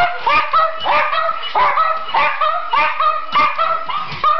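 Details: Asked to sing, Schipperkes answer with a steady chain of short wavering howls and yips, several voices overlapping, each note bending upward then down, about two per second.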